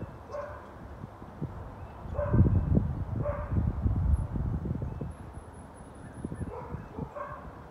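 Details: Neighbours' four dogs barking, recorded January 20, 2021: scattered distant barks at irregular intervals, partly buried under a heavy low-pitched rumble that swells in the middle.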